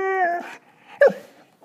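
A Belgian Malinois puppy 'sings' with a steady, tonal howl that breaks off, then gives a short yip.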